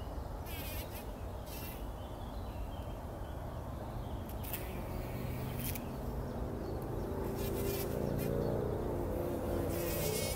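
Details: Bumblebees rolling in poppy blossoms, working early in the morning before sunrise, 2019; a low, droning hum builds in the second half and grows louder toward the end, over a steady low rumble with faint scattered bird chirps.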